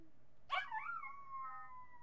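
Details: Marty, a miniature pinscher recorded by webcam on July 8, 2011, lets out a sudden yip that stretches into a high, thin howl, slowly drifting down in pitch.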